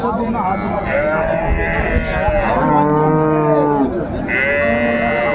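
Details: Improved-breed dairy cattle at Raniganj market in Dinajpur, Bangladesh, lowing repeatedly: a short moo, then a long deep drawn-out one, then a third starting near the end, over a constant murmur of crowd voices.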